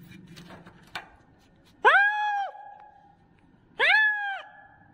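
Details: Kitten calling loudly: after a few soft clicks and rustles, two drawn-out, level meows about two seconds apart, each with a sharp onset and a tapering end.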